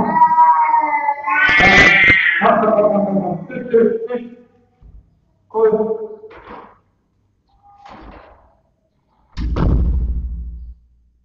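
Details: Fight between three uncastrated male house cats, nine months old, recorded by a web camera in their room: rising, strained yowls with scuffling noise, then short broken cries and a final heavy thump.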